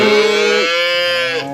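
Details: Cattle at an East Java livestock market, breeding cows on sale: one sustained, bright, nasal moo with a sudden drop in pitch partway through, holding steady for over a second before ending.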